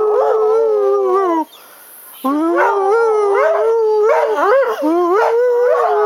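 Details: Two pet dogs, Jemma and Bubby, howl along as their owner sings "Crying Time": long, wavering, tonal wails that slide up and down. They hold on steadily, break off briefly after about one and a half seconds, then resume with rising and falling bends.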